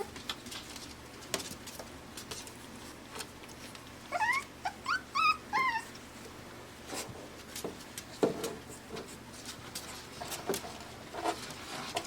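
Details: AKC Pembroke Welsh Corgi puppies at five weeks, born June 20, 2026, in Arkansas, let out a run of about six sharp, curving whimpers midway. Quiet stretches with clicks and shuffling come before and after.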